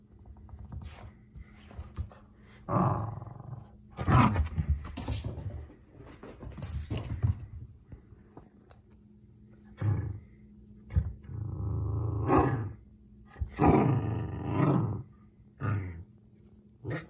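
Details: A Pomsky puppy named Oreo gives low, rumbling growls in short bursts, rising into brief yappy roars, while chewing a washcloth and running from its owner in play.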